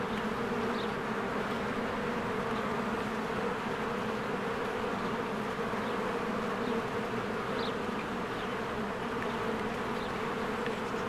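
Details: Spring beehive with honeybees flying in and out, taped on a Canon EOS R: continuous deep buzzing with an even texture and no pauses, plus scattered thin bird notes high above the hum.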